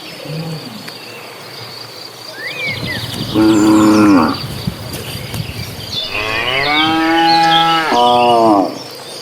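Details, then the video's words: Herd of dozens of cows heading to green pasture; three rich harmonic moos, one mid-recording and two near the end, the last pair almost back to back, over steady bird chirps and insect noise. "Suara sapi lucu riang gembira"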